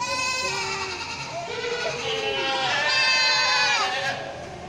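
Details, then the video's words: Goats on a farm bleating loudly, with continuous overlapping nasal, trembling calls, one long bleat rising and falling across the middle seconds. "The goats of folly farm making a loud noise."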